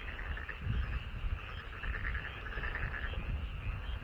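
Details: Chorus of frogs in a rice paddy beside a home, many callers overlapping in a thick, pulsing croak that never pauses, with a deep rumble underneath.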